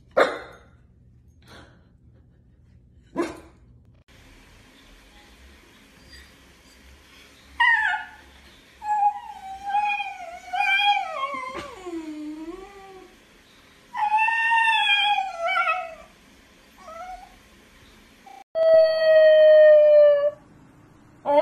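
A Basenji yodels in wavering, harmonic-rich wails that rise and fall, with a few sharp clicks between.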